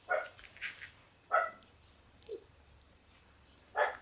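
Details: Several black Shiba Inu puppies in a puppy room, some born in March, giving a few short, high yips spaced about a second apart over a quiet background.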